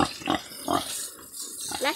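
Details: Pig named Cheetaheh giving short harmonic grunts, three in quick succession about a third of a second apart, then a higher rising squeal near the end, with a background hiss.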